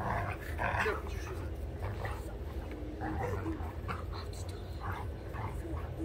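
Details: Two dogs at play, a young Sheepadoodle a little over 1.5 years old and an older Old English Sheepdog, producing rough growling grumbles and snorting bursts throughout, with human voices faintly mixed in.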